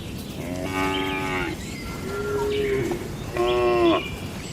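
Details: Cows mooing in a village shed at night: two strong harmonic moos about two seconds apart, each under a second long, with a softer rising call between them and steady low background rumble.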